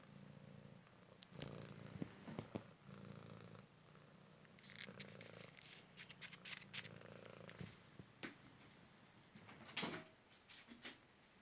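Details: Purring of a young male Cymric cat, a street rescue recovering from a car-crash leg fracture and hip dislocation, during a fetch game indoors: low rumbling purr phrases in long bursts, broken by sharp clicks and taps from play.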